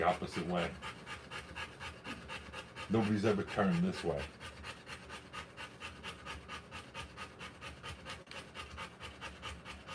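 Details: Rottweiler panting while giving birth to puppies: fast, rasping breaths at about three per second run through the clip, with brief human speech near the start and around the third second.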